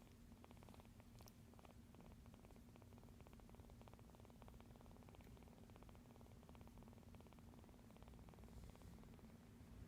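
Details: A rescued kitten purrs softly while sleeping and kneading the air beside a noisy spot indoors: a quiet, low, steady rumbling purr with fine rapid pulsing, unbroken for ten seconds, and faint rustling.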